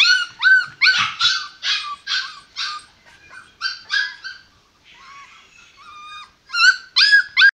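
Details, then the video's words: Whining male American Pit Bull Terrier puppy in Kerala, India: loud, high, bent yelps repeated rapidly, a softer, thinner whimpering passage in the middle, then strong yips again at the close. "American Pitbull terrier puppy# male"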